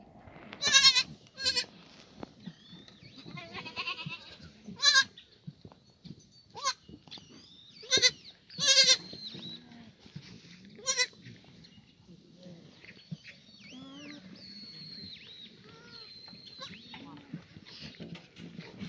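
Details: Free-range black goats in the exercise yard of an antibiotic-free farm at the foot of Mucheoksan, Sangdong-myeon, Gimhae, South Gyeongsang, on a sunny Monday morning, 24 June 2019; short, sharp bleats burst out irregularly amid frequent chirping and whistling birdsong.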